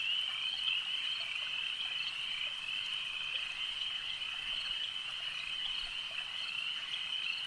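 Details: Frogs calling at a lake: a dense, steady high chorus of many overlapping callers merging into one continuous shrill band, with faint pulsing and no other distinct sounds.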